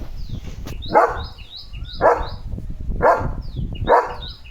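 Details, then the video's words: A pet German Shepherd, Leo, plays with his coronavirus-shaped squeaky ball. He gives steady single barks roughly once a second, with thin, high squeaks from the toy around them. "Leo The German Shepherd साठी घेतला खास कोरोना शेप चा Squeaky बॉल!"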